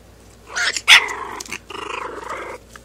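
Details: Young puppy just starting to growl: a short yelp-like burst, then a strained, harmonic, mid-pitched growl running about a second, broken by a brief gap and resuming before fading out.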